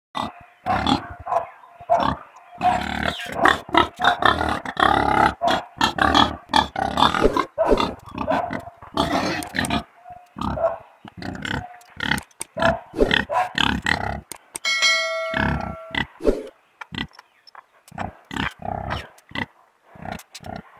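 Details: Pigs grunting and snorting in dense, overlapping bursts, with short broadband snorts repeated rapidly throughout; a brief tonal whine with stacked harmonics rises near the middle, then the grunting thins out toward the end.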